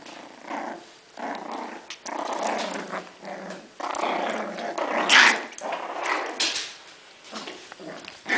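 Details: Bichon Frise puppies, six weeks old, of a "V" litter, growling almost nonstop in a small room, a rumbling raspy snarl rising and falling in waves with brief pauses and one sharper squeaky peak midway.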